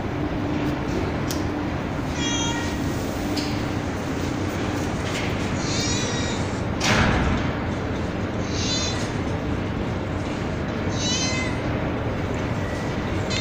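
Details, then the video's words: Kittens and a street cat on a terrace in darkness give several thin, high meows at irregular intervals, partly buried in loud steady hiss, with one sharp thump midway. "Billi Ki Awaaz Meow Meow | Cat Voice Sound | Kitten Meowing Video | बिल्ली की आवाज"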